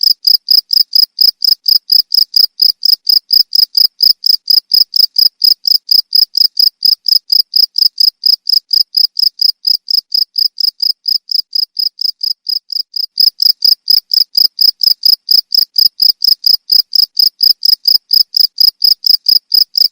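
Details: Shrill cricket chirps, played as a rat repellent, repeated roughly twice a second in a continuous high-pitched train that softens briefly near the thirteen-second mark before resuming at full strength.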